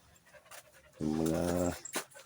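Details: Imported Labrador Retriever puppy giving a single low, droning, harmonic vocal sound of under a second, flanked by scattered clicks and soft handling noises indoors.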